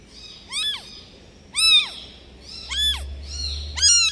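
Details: Abandoned newborn kitten meowing insistently, four sharp high cries about a second apart, each rising and falling quickly, the last loudest, with a faint low hum underneath.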